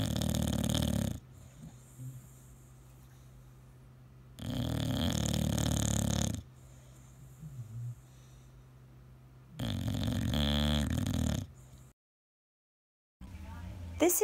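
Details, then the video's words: Male English bulldog asleep in a quiet room, snoring loudly in three coarse, rumbling bursts of one to two seconds each, with faint humming breaths between and a brief silent gap. "My Cute Dog Snore Compilation, English bulldog"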